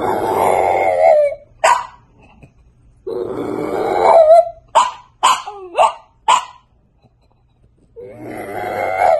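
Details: A French Bulldog puppy mixes long, rasping growly grumbles with a burst of short sharp barks and yips in between, then returns to another throaty grumble, all in a small indoor space.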